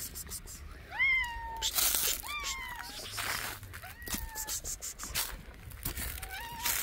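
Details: Protective mother street cat meowing while leading the way to her hidden kittens, seeming to ask to be followed: loud, rising-then-falling meows in quick succession, then softer, shorter ones, with hissy outdoor noise between calls.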